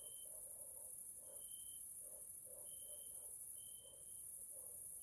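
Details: Grasshoppers (Caelifera) calling in the evening in a nature area in Hungary, Central Europe: a steady, very high continuous hiss of insects, with a clear whistled tone repeated about every second and soft low pulses beneath.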